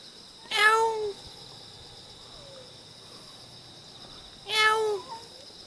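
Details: Cute wild cat in Jeonju, North Jeolla Province, Korea, giving two clear descending meows about four seconds apart, each roughly half a second long, over a steady high insect hum.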